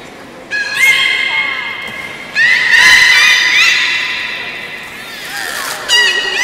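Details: Captive beluga in a public training session at the Port of Nagoya Public Aquarium, 18 July 2016, afternoon show: three bursts of bright, harmonic squealing whistles, the middle one long with wavering pitch, in a reverberant hall.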